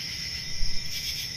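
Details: Crickets trill in a steady, high-pitched chorus over a low background rumble on a country summer night.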